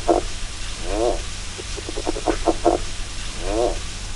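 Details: A California red-legged frog (Rana draytonii) at night in a stagnant pond behind a landfill in Santa Cruz, California, gives its quiet mating call to attract a mate, a short series of low, guttural pulses.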